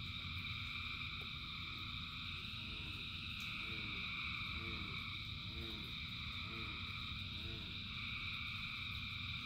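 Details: Frog chorus in rain with countless callers: continuous high trilling bands plus a series of lower, arching croaks repeating about once a second through the middle stretch, all over the steady roar of rain.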